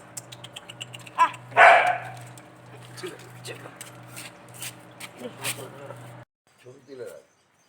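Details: Golden Retriever puppy with a rich coat at Sodpur, Kolkata: one sharp bark after a brief yip, then fainter clatter and human voices in the background before the sound cuts out.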